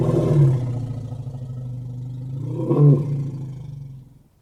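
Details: Elephant giving a deep, low rumbling call with layered harmonics, fading slightly mid-way, then swelling into a louder groaning roar near the third second before trailing off into quiet.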